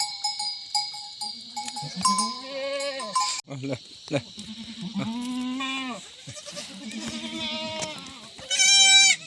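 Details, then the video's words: In the Uttarakhand jungle, India, several Himalayan goats bleat in long quavering calls, one after another, among frequent cowbell clanks, a constant shrill insect hum and a few brief voices. "himalayan goat"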